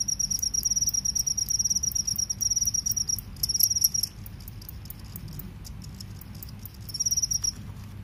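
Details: Cricket, one of a field cricket and forest cricket pair, shrill fast pulsed trills in bursts of about a second, broken by a short pause, then a faint continuous buzz and a final burst.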